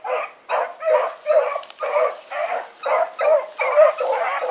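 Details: Pack of hounds named Choco, Dino, Johnny Ringo and Mingo, turned loose on an evening run in August 2014; steady rhythm of drawn-out bays, about two each second, with overlapping voices.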